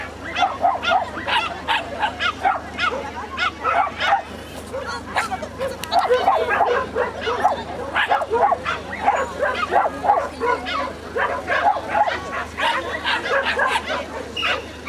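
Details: Cairn Terrier barking during an agility run at an Akita agility club debut in Japan: sharp barks repeated about twice a second with steady venue hum and crowd noise behind.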